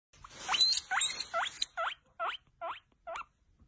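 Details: Guinea pig giving a quick series of about eight short, hooked, rising squeaky chirps, the first ones loud and harsh, the later ones shorter and softer, spaced roughly every half second and fading out.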